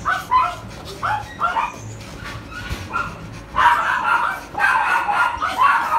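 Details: Poodle dog in Tan Binh District, Ho Chi Minh City, Vietnam, at a breeding place: sharp, high barks about once a second, then a denser, louder burst of overlapping yapping barks in the second half.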